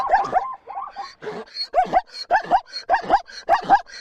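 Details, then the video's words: Zebra whinny recorded in a natural environment: a series of hoarse, barking yelps, about seven in four seconds, each a harsh two-part bark, with short gaps between them. "zèbre qui hennit ( Cri du Zèbre )"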